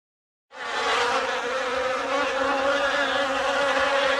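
A steady, droning buzz of bees, low and humming with a rich, layered tone.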